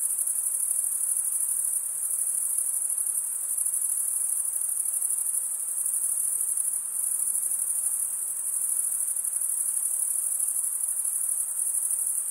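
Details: Steady high-pitched cricket stridulation from a crowd of insects, a constant rapid shimmering trill with no pauses and no other clear sounds.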